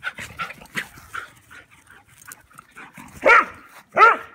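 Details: Outdoor play between Rooney the German Pinscher and a Rat Terrier, soft huffs and scuffles building to two loud, sharp bark-yips about a second apart.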